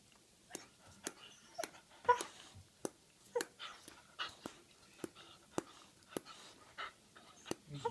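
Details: Dog making a teeth sound indoors: sharp dry clicks and clacks repeat about every half second, with a few louder snaps and faint whining tones between them.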